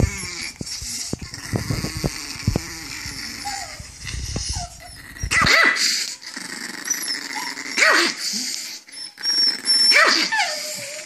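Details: Angry chihuahua making a low rattling growl at first, then three loud sharp barks spaced about two seconds apart, with rumbling growls between them.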